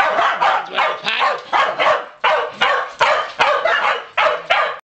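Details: Pembroke Welsh Corgi dogs, three unrelated males on a farm, barking as they are taken outside; loud, harsh barks repeated roughly every half second in a steady run, with little else audible.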